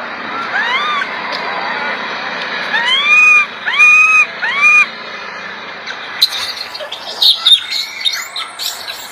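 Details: Loud cries of an infant monkey being groomed by its mother: several short arched, tonal wails in a row, followed by sharper high clicks and chirps with background hiss.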